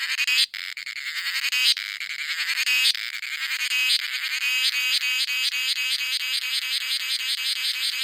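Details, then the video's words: Cicadas singing in a coffee plantation in India: a dense, shrill, buzzing drone made of rapid pulses, swelling and throbbing in regular beats, high-pitched throughout with nothing low beneath. "The Sound of Cicadas in Coffee Plantation”india"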